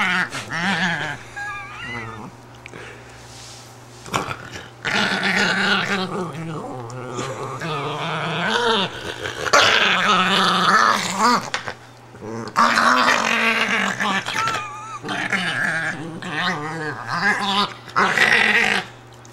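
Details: Italian greyhound Patsy protests being lifted out of her bed, voicing a near-continuous run of wavering, moaning growls mixed with high rising whines and yips, only a few brief quiet gaps throughout.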